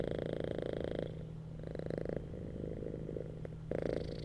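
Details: Cats relaxing on a bed give a rapid, vibrating purr that grows loud, eases into a softer rumble for a few seconds, then swells again at the end.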